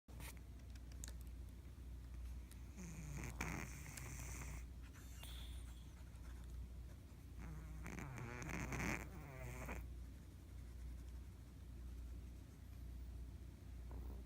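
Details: Fat ginger cat asleep and snoring: two raspy, wheezy breath bursts about five seconds apart, each with a low warbling rattle, over a steady low hum and quiet background.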